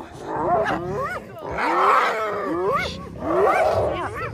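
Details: Spotted hyenas of a clan rallying to rescue a clanmate seized by a lion, on safari in early August; rising whooping calls and excited yelps overlap repeatedly with human voices and engine noise.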